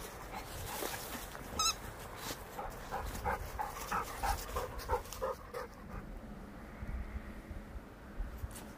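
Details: Labrador Retriever giving a quick run of short, thin whining notes, about one and a half per second for several seconds, then fading, over a steady hiss and scattered clatter.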